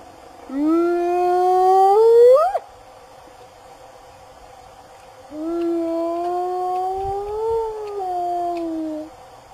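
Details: Wild African spotted hyena summoning its clan with two drawn-out whoops, the first rising sharply to a high break, the second gentler, arching up and easing down, separated by near silence.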